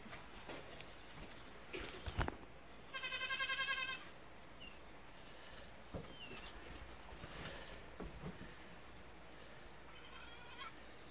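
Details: Newborn Nigerian Dwarf goat kids on day one, curious about the household dogs: one loud, high, sustained quavering bleat lasting about a second, a fainter bleat near the end, scattered chirps and handling noises between.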